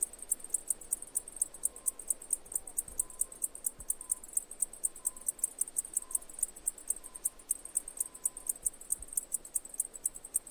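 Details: Cicada song as a high, rapidly pulsing buzz that holds a steady rhythm, while short faint lower tones come and go in the background.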